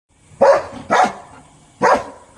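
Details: Dog barking at a vehicle that has arrived nearby: three short, loud, harsh barks spaced about half a second to a second apart, with a quiet pause between the second and third.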